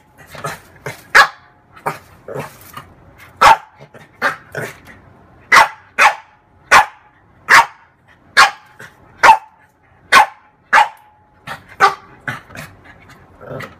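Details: Female French bulldog barking at her mirror image in play: a steady series of short, sharp barks, roughly two every second, with softer grunts between them.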